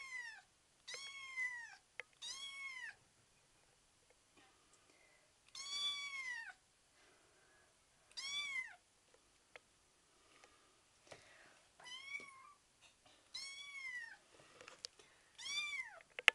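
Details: Betty, a 5-week-old kitten wanting to play and trying to come home despite being too young, gives repeated high arched meows in short bursts of two to four, separated by brief quiet gaps, in a small indoor room.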